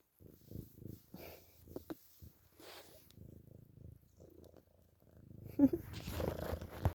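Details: Domestic cat purring indoors while sucking on a pillowcase; soft, low rumbling pulses repeat in quick succession, with faint rustling and a brief human voice near the end.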